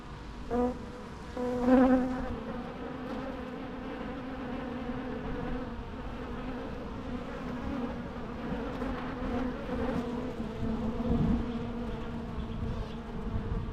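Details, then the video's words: Steady hum of bees, with one or two louder nearby fly-bys at the start and a constant droning bed throughout. "natural bee sounds"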